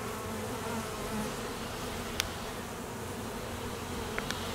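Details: Honey bees at an apiary in peak summer nectar flow, foragers busy and drones on midday mating flights; a dense, steady low hum from many bees, with a few sharp clicks.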